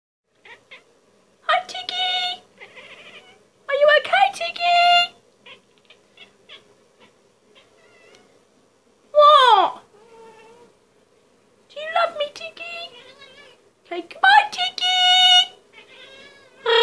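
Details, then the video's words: Indoor cat meowing: about six drawn-out, harmonic meows, some rising then falling, others bending down sharply, arriving in clusters at irregular intervals with short quiet gaps between. "Meowing cat"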